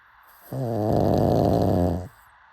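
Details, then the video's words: One long, loud snore from a sleeping pug, a rough, buzzing low drone swelling in for about a second and a half before cutting off. "Why Do People LOVE Pug Snoring So Much?"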